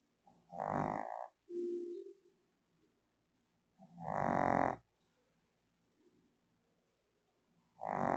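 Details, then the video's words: A Shih Tzu fast asleep on her bed in the Philippines, snoring loudly in long rasping breaths about every three seconds, one short lower grunt between them, a quiet room otherwise. "Shih Tzu Dog Snores Loudly in His Sleep"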